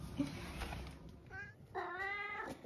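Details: Indoor domestic cat, 11 years old, vocal and seemingly hungry, gives two meows after a woman's voice: a short softer one, then a longer, louder, steady meow with strong harmonics; background room noise.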